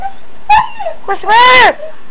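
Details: Huskies indoors in the morning, vocal about needing to go out: a short yowl, then a longer arched howling whine that rises and falls over about half a second, with a quieter whimper after it.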